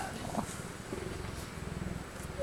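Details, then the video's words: Relaxed male cheetah purring softly, a quiet low rhythmic rumble with fast regular pulses, steady from start to finish, a faint knock early on and a sharp sound at the very end. "Purring Cheetah"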